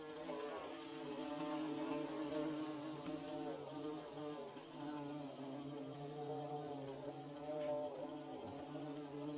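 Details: Steady hum of bees building their nest, a rich buzzing drone whose pitch wavers slightly as individual insects pass close, continuous for the whole stretch with a faint hiss above.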